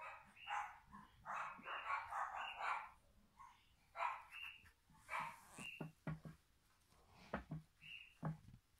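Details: Jack Russell Terrier puppies giving short high yips, whines and squeaky calls in bursts, some overlapping, with brief pauses between.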